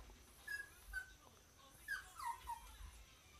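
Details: Pet dog having a fit because he wants to get into bed with his owner: thin, high whining whimpers, each brief and slightly falling, four or five in quick succession over a few seconds in a quiet room.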